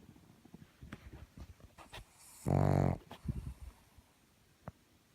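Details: Pug giving a single short, throaty snort-like snore, surrounded by soft rustling, clicks and light shuffling noises.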